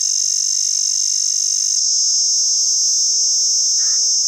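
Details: Cicada in Pakistan sustaining an intense, even, high-pitched buzz throughout, the tone shifting slightly partway. One brief lower rounded note sounds near the end alongside faint steady hum.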